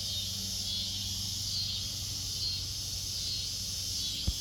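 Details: Cicadas in a backyard where kittens are, a softer steady high buzzing drone with a low hum beneath and a brief knock near the end.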